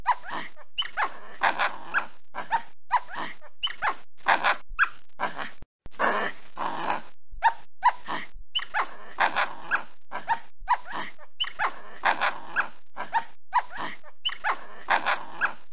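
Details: Capuchin monkey in a tree producing rapid strings of rasping calls with squeaky tonal slides, bursts coming in quick irregular succession with short silences between them.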